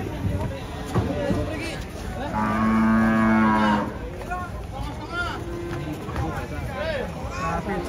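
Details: A giant lame cow being unloaded from a truck gives one loud, long, steady low moo lasting about a second and a half, surrounded by excited human chatter and background music.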